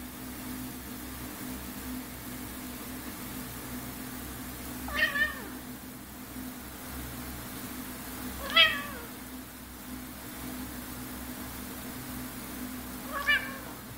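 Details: Pet cat meowing in protest while being poked and tickled, which it dislikes; three short harmonic meows spaced about four seconds apart over a steady indoor hum.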